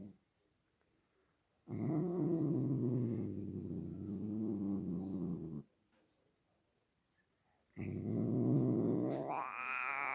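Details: Domestic cat producing two separate low, grumbling growls divided by several seconds of silence; the second swells upward into a higher, drawn-out, wavering yowl at the end.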